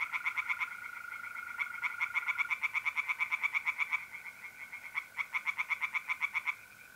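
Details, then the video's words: Singing tree frogs in a pond on a mid-April night in north-east Italy: repeated trains of rapid, harsh pulsed croaks separated by short pauses, with mole crickets trilling steadily underneath. "relaxing singing tree frogs in pond"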